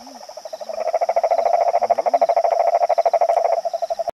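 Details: Yellow cururu toad, a male, vocalizing within a pond at São Joaquim National Park, Orleans/SC, evening of 22 September 2017: a rapid, rattling pulsed trill lasting about three seconds, with faint low sliding tones and constant high-pitched insect droning behind it.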